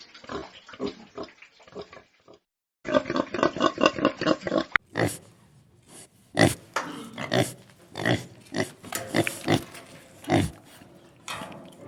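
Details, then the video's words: Pigs on a farm: a short run of rapid grunts, a moment of silence, another tight volley of grunting, then louder separate squeals and snorts spaced about a second apart. "SOUND OF PORK - PIGS ON THE FARM"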